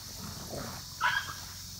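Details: Hurt five-month-old German Shepherd Samson gives one brief, sharp, high-pitched yelp after a soft low rumble, over a constant background hiss outdoors.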